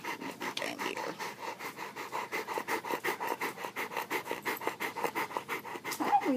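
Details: Rottweiler named Jackson, a big affectionate dog cuddling in the morning, panting steadily. Quick, regular breathy huffs come nearly three per second, in an even rhythm for several seconds, with no voices over them.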